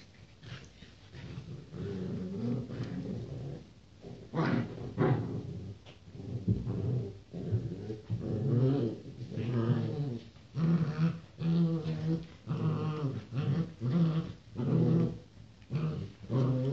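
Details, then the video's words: Pedigree Rottweiler puppies, born 28 January 2016, make deep throaty growls in short pulsing runs. The runs grow denser and louder through the second half. "Щенки Ротвейлера"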